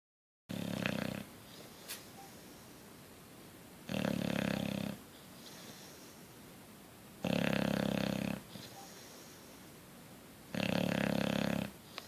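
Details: Coach the Bulldog asleep and snoring: four loud, rasping snores, each lasting about a second, roughly every three seconds, with softer breathing sounds between them.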